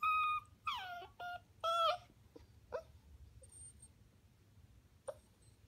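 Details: A Welsh Corgi puppy watching other dogs on YouTube gives high, wavering whines and short yips, several in quick succession.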